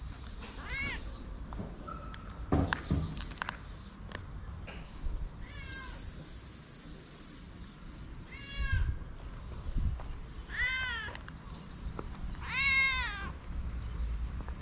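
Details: Homeless white cats with blue eyes, hungry and fed on a street in Morocco, give repeated arching meows, some long and wavering, every one to two seconds amid outdoor background noise and occasional clatter.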